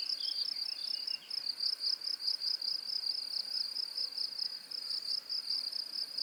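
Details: Shrill cricket chirping played as a tinnitus masking sound: a constant, rapidly pulsed high trill with slight rises and falls in volume and a few faint chirps at the start.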